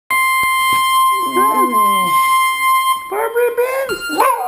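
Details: Seven-year-old Jack Russell / Rat Terrier mix howling along as its owner sings "Barbara Ann"; a person's voice and a steady high tone are joined by the dog's wavering, rising and falling yowls.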